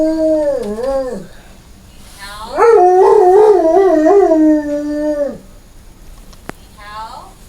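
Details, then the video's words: Domestic dog howling: a short falling wail, then a longer sustained wavering howl with a rhythmic vibrato that ends in a drawn-out tone, followed by a faint brief yelp and quiet background. "Cutest dog howling"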